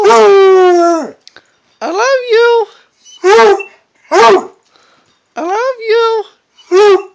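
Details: Redbone Coonhound producing a long falling howl followed by a run of shorter arched, yodelling bays, about six calls in seven seconds, in an indoor room.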